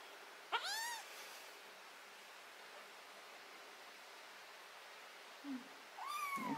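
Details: Cat meowing while botfly larva, ringworm, fungus and blackheads are removed from its skin: two high, harmonic-rich meows, a rising-falling cry near the start and another rising one at the end, with a quiet voice between.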